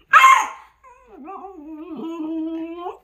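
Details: Pet dog Dogeu, happy and wagging its tail at dawn in a kitchen as it is offered a strawberry, lets out one sharp bark, then a long wavering, whining vocalization that slides up and down before rising at the end, indoors.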